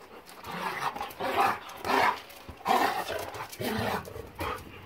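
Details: German Shepherd Boxer mix dogs playing, filmed January 26, 2021; a series of about five rough, throaty growl-barks spaced roughly half a second to a second apart, with faint background voices.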